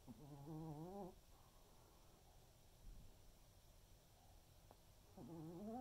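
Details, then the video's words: A senior Pomeranian snoring softly during an afternoon snooze indoors: low rumbling breaths with brief wavering, whistle-like tones at the start and near the end, and a steady faint hiss in between. "Pomeranian snoring"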